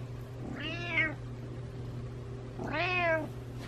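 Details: Pet cat meowing while following its owner around indoors: two drawn-out, rising-then-falling meows about two seconds apart, with a steady low electrical hum underneath.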